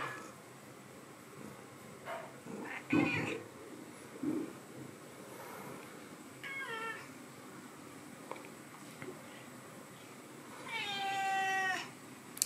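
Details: Two young cats in the morning when their owner gets up; a short meow midway and a louder, drawn-out meow near the end, amid household rustling and soft thumps.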